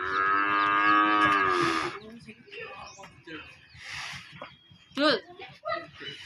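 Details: Aggressive cow being let out of its pen and back in, giving one long, steady, low moo of about two seconds, followed by scattered human voices and short noises in the background.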